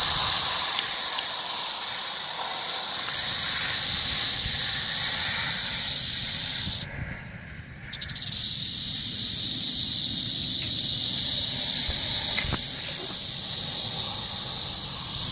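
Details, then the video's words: Rattlesnake rattling, recorded 1 July 2018: a steady, dry, high-pitched buzz that runs without a break, stops abruptly for about a second midway, then resumes just as intensely. "Víbora de cascabel."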